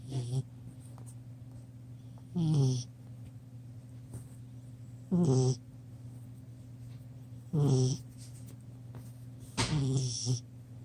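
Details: Chocolate Labrador Retriever puppy, ten weeks old, sleeping on a couch and snoring: four gravelly, drawn-out snores spaced about two to three seconds apart over a constant low electrical-sounding hum.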